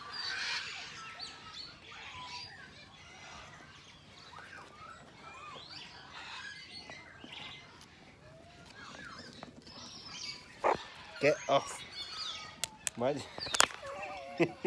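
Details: A troop of zoo meerkats chatter in a busy stream of short, high chirps and squeaky peeps.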